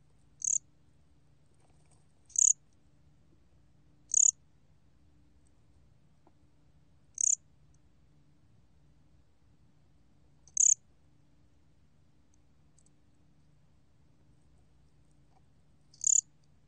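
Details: Gomgwitturami cricket, 2020 National Institute of Biological Resources recording: six isolated high-pitched chirps at uneven gaps of two to five seconds, each a short sharp burst, against a quiet background.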